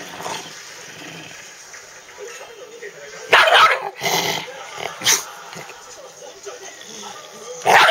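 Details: Shiba Inu named Chibi, billed as a 'devil Shiba' and a dog that appeared on the TV show Unbelievable, gives short harsh bark-like bursts clustered in the middle and again at the end, while a person speaks training commands in Japanese.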